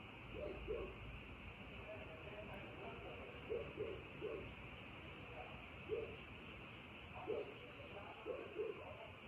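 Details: Frogs calling at night: short, low croaks, often in quick pairs, scattered through the recording, over a steady high-pitched background hum.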